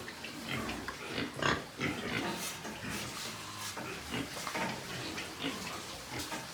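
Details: White pigs on a pig farm in Nepal, giving short broadband grunts and snorts in irregular bursts, several animals overlapping, with a steady noisy farm background.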